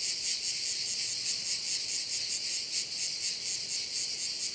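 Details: Crickets in a bay at Korčula, Croatia: a dense, continuous high-pitched shrilling chorus with a steady rapid pulsing throughout, and no other clear sounds.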